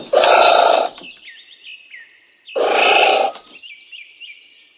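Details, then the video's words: Two loud, rough anteater calls, each under a second, with a pause of about two seconds between them. Small birds chirp high and brief in the background throughout. "Anteater Calling Sound"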